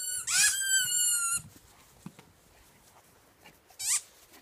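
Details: German Shepherd Kody, three years old, celebrating his birthday in the garden, gives a high, squealing whine lasting about a second, then a second short squeal near the end, with faint rustling between.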